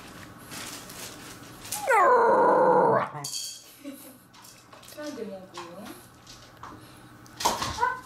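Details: Corgi waiting for food gives a loud, drawn-out wavering whine lasting about a second, followed by softer short whimpers and a brief yelp, with a woman speaking Japanese in between.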